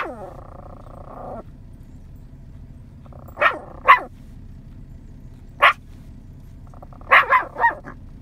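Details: Yorkshire Terrier, nine months old, barking out in a field to call in scattered cows; short sharp barks in pairs and a quick triple burst, separated by pauses, with a brief sustained tonal sound at the start and middle.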